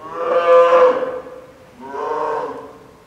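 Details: Lila, a nine-month-old female polar bear cub, fussing, apparently hungry near lunchtime, at Maruyama Zoo, Sapporo, Hokkaido, on 2 October 2015 around 11 a.m. during typhoon storms, beside her mother Lala; two long, rich, harmonic wailing cries, the first louder.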